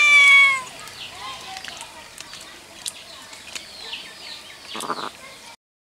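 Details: White cat giving one loud, clear, drawn-out meow at the start, with a harmonic, slightly falling tone. Faint bird chirps and outdoor ambience follow until the sound cuts off.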